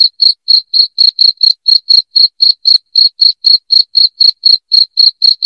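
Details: Loud cricket chirps meant to repel rats indoors: a steady run of brief, high, piercing pulses, roughly four each second, on a silent background.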